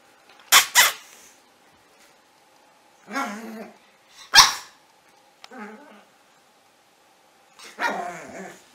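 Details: Puppy giving a quick double bark, then a softer tonal whine, another sharp single bark, and a short yelp. The calls come in irregular bursts with quiet gaps between them.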